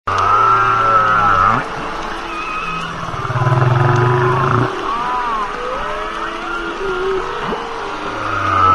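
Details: Humpback whale vocalizing underwater: long low harmonic moans, a rising swoop, a pulsed buzzing grunt held for over a second, and high arched whistles that rise and fall. Calls overlap one another above a steady background hiss.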